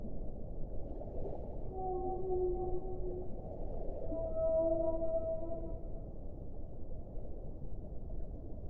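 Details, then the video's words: Whale song of long, steady tonal moans with layered harmonics, several overlapping notes sustained for one to two seconds each over a constant low rumbling water noise. "1 ora di suono delle balene"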